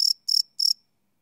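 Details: Night-time cricket chirps captured live with a Sony PCM D100 recorder: three short, shrill pulses about a third of a second apart, then silence, with no other sounds.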